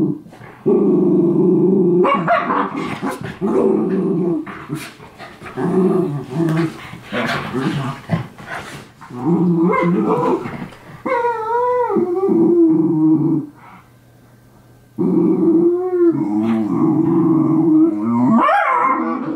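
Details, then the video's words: Two miniature schnauzer brothers fighting, as they do daily: rough growls and yips with barks in quick bursts, some rising whiny yelps around the middle, a brief quiet gap, then renewed growling and a sharp high yelp at the end. "Schnauzers Fight"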